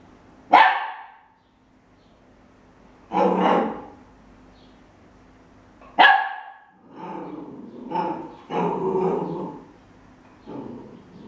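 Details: A 13-week-old Welsh Corgi puppy investigating a measuring cup gives sharp, high yaps, then a run of rougher, growly barks.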